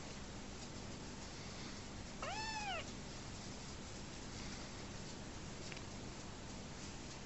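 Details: Rescued homeless kitten, orphaned when his mother died shortly after his birth, bottle-fed indoors; one clear arched meow, rising then falling with strong harmonics, lasting about half a second, over steady soft clicking and patter.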